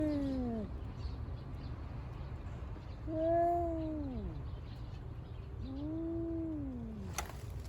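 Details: Cat in Senri Park West, recorded 5 December 2022, a rival of another park cat; three drawn-out meows with falling, slightly wavering pitch, the middle one loudest, over steady low background hum and a click near the end.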